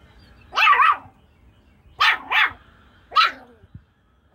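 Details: Loud, close barks from a Jack Russell Chihuahua playing with chickens: three clear barks about a second apart, the first two split into quick doubled yaps, over a quiet background.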